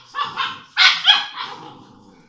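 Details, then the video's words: Playing English Mastiff puppies aged six weeks, kennel in Czechia; a brief cluster of drawn-out, whiny high yelps, two sharp peaks in the middle, tailing into a softer whimper. "Puppies of English Mastiff are playing with each other"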